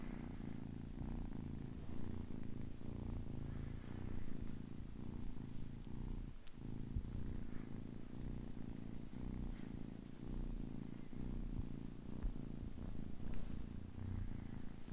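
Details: Young kitten, ten weeks old, giving a long unbroken low purr, a coarse vibrating rumble that swells and eases with breathing, plus a single soft click partway through.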